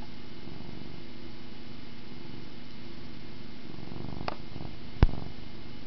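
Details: Cat purring as it plays with a camera string inside; low, even rumble sustained for the whole stretch, interrupted near the end by two sharp knocks.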